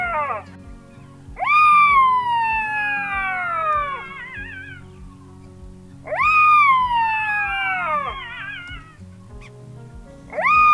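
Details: Black-backed Jackals calling and playing in a river bed in front of a chalet at Mata-Mata rest camp, Kgalagadi, August 2023, early morning; two long, loud wails drop steeply in pitch about four seconds apart, with music underneath.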